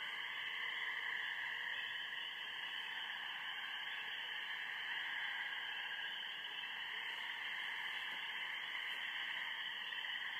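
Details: Spring peepers from a backyard pond chorus after dark in spring, on the fourteenth, with geese also around: countless high peeps blend into a steady, ringing wall of sound.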